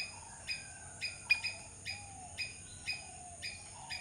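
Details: Squirrel giving short, sharp chirping calls repeated roughly twice a second, about nine in a row, each a brief bright burst, over a steady faint high-pitched whine and a soft low background rumble.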